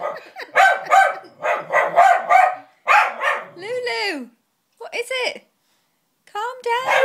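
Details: Lulu the dog reacts against a puppet with a quick string of barks, followed by sweeping voice-like sounds and a few more barks.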